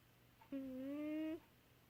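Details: A pet cat named Baby Girl snores in deep sleep: one drawn-out, hum-like tonal breath lasting almost a second, holding a steady pitch and lifting slightly at its close, in a quiet small room with a faint low electrical hum.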